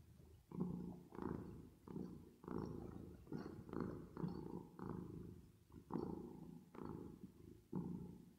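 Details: Resting cat purring, processed with reverb: thick low rumble in uneven surges roughly every half second to second, each swell buzzing then dropping briefly before the next breath.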